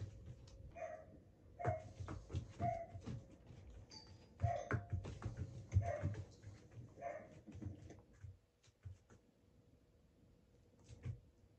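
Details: Border Collie named Asahi, kept indoors, barking in its habitual reaction to the doorbell chime during training: a run of short, sharp barks about once a second over the first seven seconds, then quieter shuffling and thumps in a small room.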